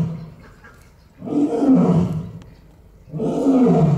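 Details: Captive Barbary lion at Olomouc Zoo giving two deep, drawn-out roaring grunts about two seconds apart. Each is a rough, moaning roar that swells and fades with a rich low resonance. A quiet pause falls between them.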